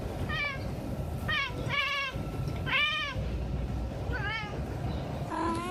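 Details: Cat giving a series of short, bending meows, about six in under six seconds, each rising then falling, over a steady low rumbling background hum.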